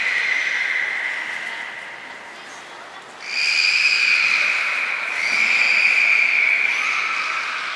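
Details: Belugas Nana, Mirai and Niko during a training session at Port of Nagoya Aquarium on 11 January 2021; a steady, high whistled tone with overtones, quieter in the middle, then swelling louder and holding on with slight wavering.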